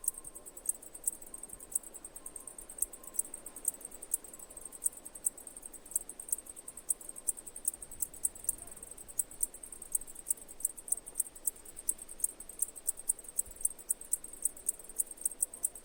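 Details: Long run of cicada chirping, a continuous stream of rapid, piercing high pulses repeating without pause over quiet background hiss.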